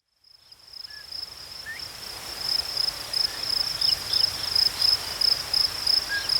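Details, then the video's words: Crickets outdoors in nature, a high, steady chirping in quick pulses, about three per second, fading in from silence and growing louder, with a few faint short chirps lower down in the background. "Crickets chirping sounds"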